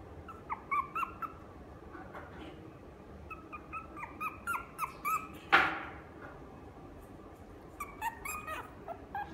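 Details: Maltese × Chihuahua mixed-breed dog at the Inu no Ie pet shop, Fuji branch, giving short high whimpers and yips in bursts, with one sharp knock midway and quiet room hum behind.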